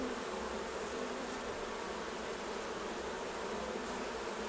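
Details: Many honey bees hum together at the hives while a beekeeper takes off the honey harvest; the low droning buzz holds an even, constant level from start to finish.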